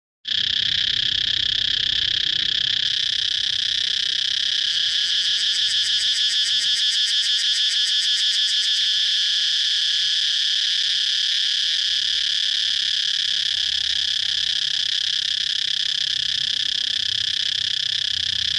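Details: Cicada recorded outdoors, a loud, steady, high-pitched buzzing drone that fills the whole recording, with a stretch of fast, rattling pulses in the middle before it settles back into an even hiss.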